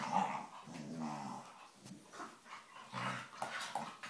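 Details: Play-fighting Staffordshire bull terriers wrestling and making funny noises: throaty growls and grumbling snarls in uneven bursts, with scuffling and mouthy noises in a small room.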